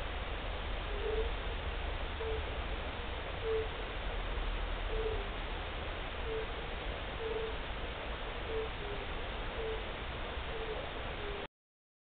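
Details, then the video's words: European fire-bellied toad (Bombina bombina) giving its first calls of the year on 29 March 2014: a regular series of soft, low, hollow notes roughly every 1.2 seconds against steady noise, ending abruptly. "Pierwszy odgłos kumaka nizinnego."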